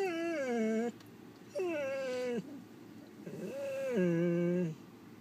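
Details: Poodle making three drawn-out, tonal whines indoors. Each lasts close to a second, starts higher and sags downward, with short quiet pauses between them and a faint room hum behind.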